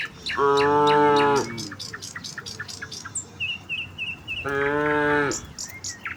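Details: Village cows walking as a herd toward fields in the morning, calling to each other: two rich, steady moos about three seconds apart, with light bird chirps filling the gap.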